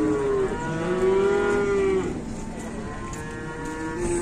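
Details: An Indonesian farm cow lows in a sustained, fairly flat moo for about two seconds, followed by softer, lower moos.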